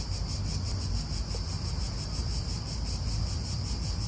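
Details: Unbroken high-pitched drone of cicadas in an Italian park, with a slight rapid pulsing, set against strong, gusting wind noise.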